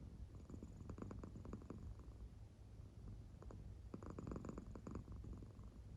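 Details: An American Shorthair cat in deep sleep purrs softly, belly rising and falling; a low hum carries two groups of rapid rhythmic pulses.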